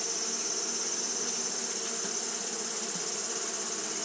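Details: On a hot day, Japanese honey bees keep up fanning behaviour: a dense, even droning hum of many wings, low banded tones holding steady beneath a strong, continuous high whine.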